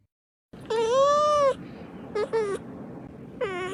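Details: White domestic cat facing off against another cat in a fight, giving a long drawn-out harmonic yowl, then two short yowls and a rising-falling wail, with a low rumbling background.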